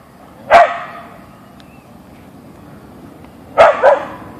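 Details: Siberian Husky (Ausky) Boeing barks after meeting a deer in the backyard; a single sharp bark, a three-second pause, then a quick double bark.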